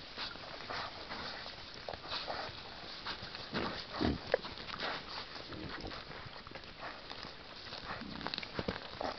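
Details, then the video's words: Wild boar in a sounder, foraging in forest near a brook, giving scattered soft snuffling grunts, with one stronger grunt near the middle, amid steady rustling and trampling of leaf litter. "Eine Wildschwein Rotte!"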